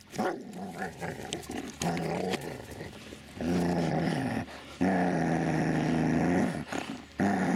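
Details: Dobermann Magmar Von Der Burgstätte growling in long rumbling stretches, each lasting one to two seconds, separated by brief breaks, with a few sharper barks near the start.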